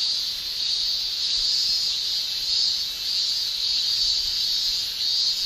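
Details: Continuous high, hissing shrill of male cicadas in summer in Japan, a dense insect chorus that rises and falls softly about every two seconds.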